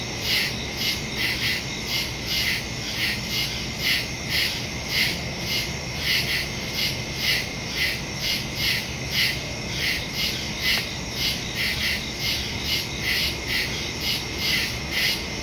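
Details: Woodland crickets at night, September 2, 2023, Samsung Galaxy S22 Ultra with Shure MV88+ stereo mic; continuous chorus of sharp pulsed chirps about two per second, several callers overlapping with a steady high buzz beneath.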